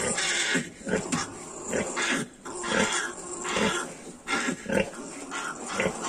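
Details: Squealing and grunting from Yorkshire piglets aged 22 days: a crowded mix of brief rasping calls, some louder squeals standing out every second or so over a steady noisy background.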